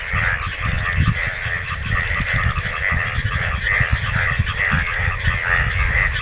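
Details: Numerous frogs croaking in the Bangladeshi rainy season after rain filled the ground with water; dense pulsing calls, some notes standing out louder every second or so, over steady low background noise.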